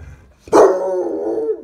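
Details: A male Basset Hound lets out a sudden, sustained mid-pitched howl that sags slightly at the end, begging for chicken dinner.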